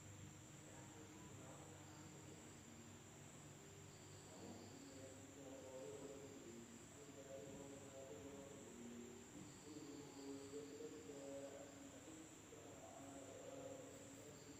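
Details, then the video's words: Insects at night in a village in Indonesia: an unbroken, high, steady shrill drone, with a fainter high band above it and softer, lower warbling sounds coming and going underneath. "the sound of insects at night in the village of Indonesia SUARA SERANGGA MALAM HARI"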